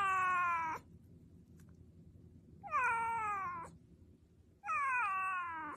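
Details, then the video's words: A pet cat close to the recorder meows back at its owner as though conversing, three clear drawn-out meows about two seconds apart, each bright and slightly falling, in a quiet room. "MEOW!| Cats meowing so innocently | Watch these cute cats trying to talk"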